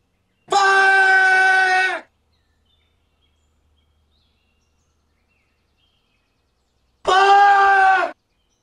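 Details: A marmot yelling: two long, harsh, strongly harmonic screams, the first about one and a half seconds, the second about one second, each flat and steady in pitch, separated by near silence.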